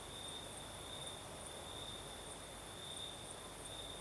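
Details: Crimean crickets at night: a constant thin whistling trill with faint rhythmic chirps higher up, all over a wash of breeze noise.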